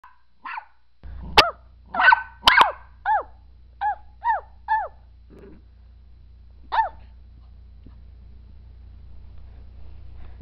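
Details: Maltese puppy at play gives a quick string of high, arched yips and small barks, about one every half second, with a brief low growl in the middle and a last yip after a pause, over faint background hum.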